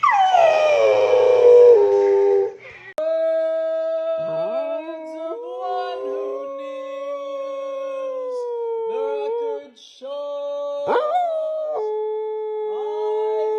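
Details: Domestic dog howling along with a musical note as if singing, cheered on by people; long sliding wavering tones with strong overtones, breaking off and resuming several times over a steady held note.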